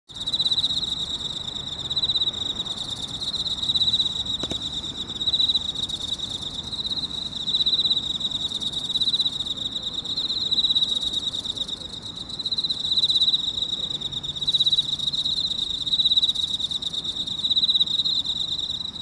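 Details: Emma field cricket chirping from inside a hole in a park, early morning at 6:54 on 30 August 2018. A high, steady ringing tone swells into louder pulsed chirps every few seconds, over faint low background rumble.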